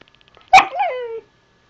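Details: Zoey, a young pet husky puppy, talking back to her owner indoors while being asked whether she has to go outside: a sharp yelp-like onset slides into a drawn-out, wavering, gently falling howl-like moan lasting under a second.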